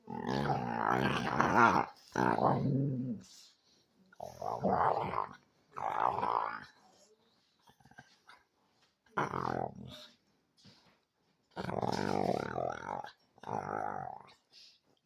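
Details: A pet dog described as ferocious, vocalizing in fierce mode indoors: long rough growling bouts lasting one to two seconds, separated by short pauses, some rising into harsher roar-like sounds.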